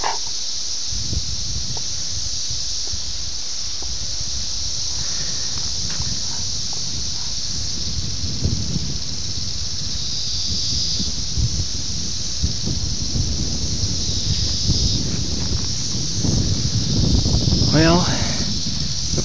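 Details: Brood X periodical cicadas, the 17-year brood, emerging in June 1987 near Ayersville, Ohio, on VHS tape: constant high whining chorus pulsing gently in strength, over low rustling and handling noise, with a quick sweeping squeal near the end.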